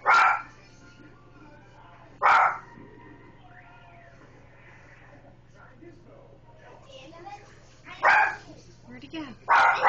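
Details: A dog barks at a rotisserie chicken with four loud, sharp barks, spaced irregularly with long pauses between. Quiet human speech and a steady low electrical hum fill the gaps.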